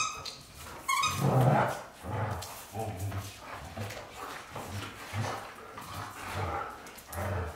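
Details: Low, throaty bursts from the white Golden Retrievers James Bond and Luna. One louder bark-like burst comes early, then steady grumbling pulses repeat about every half second.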